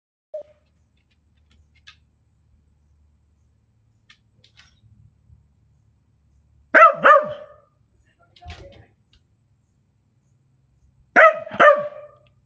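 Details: Male Scottish Terrier barking while insisting on being let into a cabin, pawing at the door; two loud, sharp double barks several seconds apart, with quiet gaps, faint scratching and soft background sounds between them.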